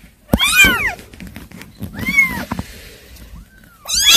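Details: Kittens giving a few scattered high mews, one strong cry early, a softer one mid-way and another at the end, over a background of rustling and light thumps.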